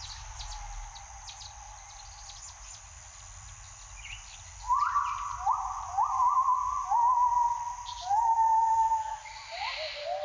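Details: Gibbons at daybreak: after a few quiet seconds of insect hiss, a loud series of upward-gliding hoots begins, with notes wavering and repeating in quick succession.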